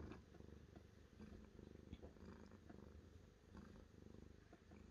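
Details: Domestic cat purring steadily, a soft low rumbling pulse that runs without a break through the whole stretch, quiet and close in a calm indoor setting.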